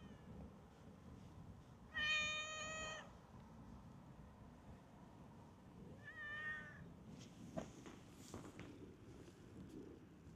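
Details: Free-roaming park cat approaching someone it knows: one loud drawn-out meow, then a shorter fainter meow about four seconds later, over low background hum and scattered rustling.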